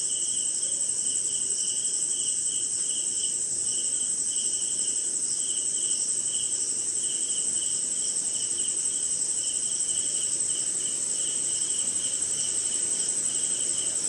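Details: Crickets calling through a rainy Indian night, an unbroken high-pitched ringing trill plus faster lower chirp pulses in uneven bursts, set against a soft hissing background.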